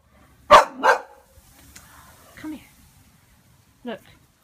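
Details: Two rapid, loud barks from Pixie the Boxer, startled by a balloon, followed by a brief low whine and a final shorter yelp, in an otherwise quiet indoor room.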